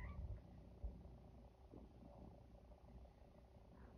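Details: Feral female cat Luna, in heat, harassing the neutered male Chico by hanging over him and throwing herself onto him; a quiet, low, steady purring rumble runs throughout, with a few soft thumps near the start.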